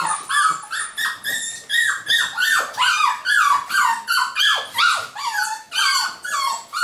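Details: New litter of golden Cavapoo puppies, UK, 2015: steady run of loud, wavering whines and squeaks, roughly two or three per second, each dipping then rising in pitch, several pups calling together.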